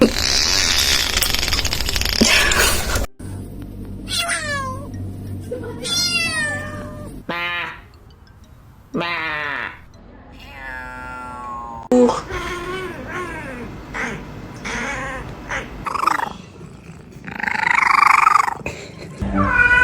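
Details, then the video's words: A cat making weird sounds: a run of varied meows, some drawn out and wavering, others short and rising or falling, separated by brief pauses, with a burst of rough broadband noise at the start. "Cat’s weird sounds"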